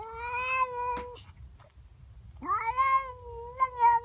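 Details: Domestic cat, a female, wailing in the morning at a neighbour cat in her garden: a sustained yowl, a short break, then a rising, wavering howl; a faint thump in the gap.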